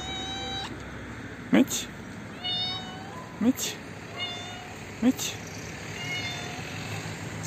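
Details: Old, hungry, toothless stray female cat living in a neighbourhood front yard, meowing while being fed: short, fairly flat meows repeated every second or two, over constant hissing background noise and a person speaking.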